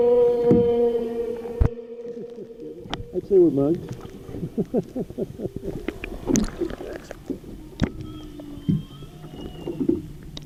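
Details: Humpback whales directly beneath a boat off South Maui, Hawaii, on 24 January 2013: long harmonic moans, then a quick wavering swoop, overlaid by many sharp clicks and knocks.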